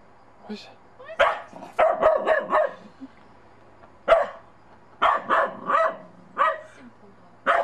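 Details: Bedlington Terrier puppy out in snow for the first time, unsure of a child's small snowman, giving short, sharp barks in quick bursts of two to four, with a person's voice speaking nearby.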